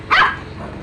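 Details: A single short, sharp dog bark, loud and abrupt, fading quickly into quiet background.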